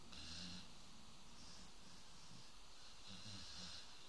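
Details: Sleeping dog snoring: low, rumbling throaty snores with rhythmic pulses in the deep range and soft breathy hiss above, steady through the whole stretch in a quiet room.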